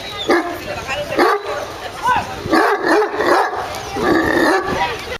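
A Great Dane gives loud, booming barks in quick succession while a man talks over them.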